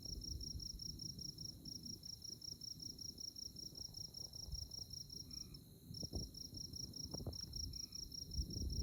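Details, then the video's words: Chirping insects in Konza Prairie's tallgrass near Manhattan, Kansas, on a moonlit night: rapid, regular high pulses with one short gap, two soft lower double notes, and a steady low wind rumble underneath. "Moonlit Night in Konza Prairie 🌙 | Insect Chirping Sounds"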